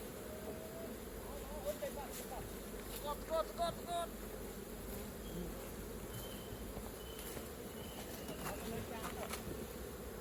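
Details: Continuous low buzzing of honey bees around a hive during honey harvesting, with a few short high tonal chirps near the middle and faint handling sounds over the drone.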